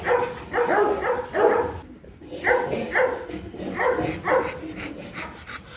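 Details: Rottweilers Marvin Gervi and Kacyno Gervi at a mating session in Hanoi, Vietnam, male courting a reluctant female; short harmonic yelping barks in groups of two or three, pausing briefly midway, faint human voices behind.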